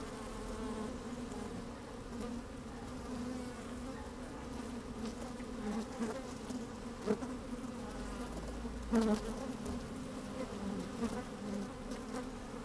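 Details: Inside an open beehive on a sunny, slightly windy day, honey bees move about with a continuous low hum of stacked tones, broken by a few sharp clicks and a short louder buzz around nine seconds.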